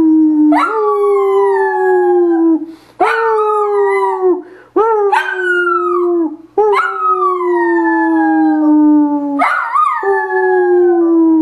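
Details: Dachshund named Polly howling or singing: five long, loud, harmonic howls, each jumping up sharply then sliding slowly downward, separated by brief pauses, in a quiet setting.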